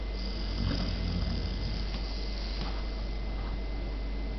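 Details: Poppy, a German Pointer puppy, snoozes in her bed and snores: soft, low rumbling breaths that swell between about half a second and one and a half seconds, over a steady faint hiss in a small indoor room.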